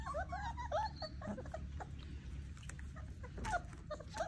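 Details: Basset Hound puppies playing, giving short high whimpers and yips, rising and falling squeaks in quick succession over a steady low rumbling background.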